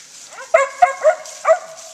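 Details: Mountain Feist out in the woods with other dogs while hunting squirrels, giving four short, clipped, tonal yelping barks within two seconds.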